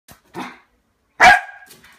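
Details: Lakeland Terrier barking during a play fight over a water bottle: a soft gruff bark, a pause, then one sharp loud bark with a short trailing growl.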